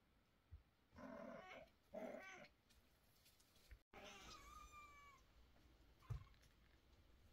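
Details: A mother cat in a bad mood, carrying and scolding her kittens, gives two quick, harsh meows, then a longer, drawn-out one.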